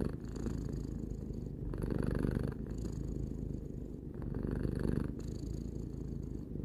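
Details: Tarou the three-year-old cat purring indoors, a low buzzing rumble that rises and falls with each breath, the cycles lasting about one and a half seconds.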